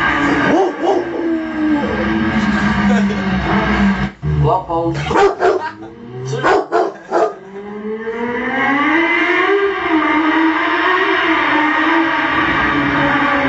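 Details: Pet Rottweiler howling in response to a motorbike: long wavering tones slide up and down, broken midway by short bursts and yips, then a sustained rising and falling howl, with engine noise and background music throughout.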